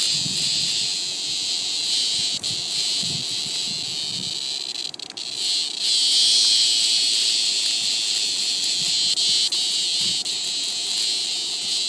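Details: A cicada in a tree caught and eaten alive by a praying mantis, producing a continuous shrill, high-pitched buzzing scream with slight pulsing throughout.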